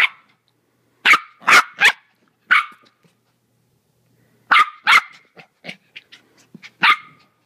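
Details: Four-month-old Maltese puppy Timothy, hyper and playful, yaps in high, piercing barks, bursts of three, a pause, then a rapid run of louder and softer yips tapering off.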